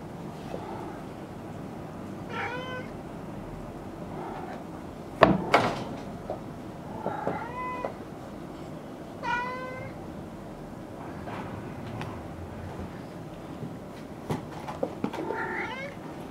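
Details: Maine Coon kittens playing roughly at a Tokyo cattery, giving a series of short harmonic meows, several with rising or bent pitch, spaced a few seconds apart, with thumps and bumps of play between them.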